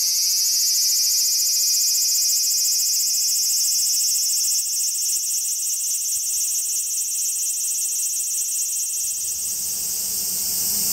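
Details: A cicada chorus in summer-heat woods beneath the Yoro Mountains on Japan's Tokai Nature Trail, in the morning, fills the air with a steady, high, shrill buzzing drone.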